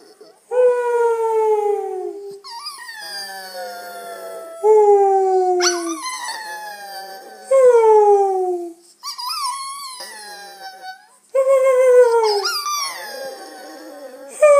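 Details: Bulldog howling: five or six long, loud, drawn-out tones that start high and slide downward, each lasting one to two seconds, separated by short pauses and occasional softer whimpers.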